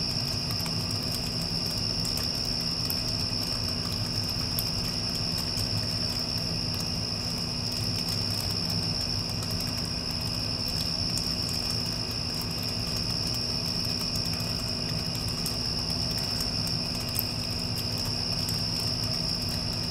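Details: Crickets after a passing storm, a steady unbroken high-pitched trill running the whole time over the deep, constant drone of an air conditioner.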